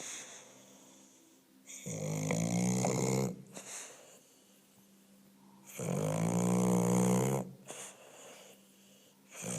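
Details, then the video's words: An English Bulldog snores twice, about four seconds apart. Each snore is a drawn-out, low, rattling drone with a rising-and-falling tone and breathy hiss, followed by quiet breathing. "English Bulldog snoring"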